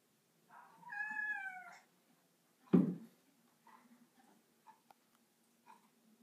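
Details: Domestic cat on a bathroom counter, one drawn-out harmonic meow rising then falling, followed by a loud thump and a few small clicks and soft noises in a small room.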